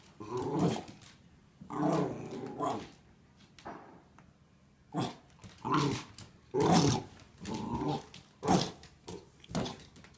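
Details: Wire Fox Terrier puppy named Nicholas indoors in a bedroom, teasing another dog, Chewy, with a blue toy dinosaur; low rumbling growls and short gruff bursts come in uneven bouts with quiet gaps, plus a few sharper yips.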